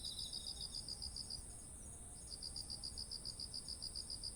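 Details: Insects of autumn near ripening rice, recorded with a ZOOM H1essential: a soft lower buzz opens the recording beneath quick, high chirps. The chirps stop for under a second, then return in a steady rhythm against an unbroken shrill background trill.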